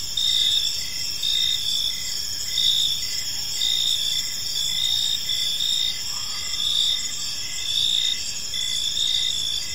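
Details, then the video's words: Evening park chorus of crickets: overlapping high-pitched trills and pulsed chirps repeating about once a second, a continuous shimmering bed of insect sound over faint low ambient noise. "Cricket Sounds in a Peaceful Park"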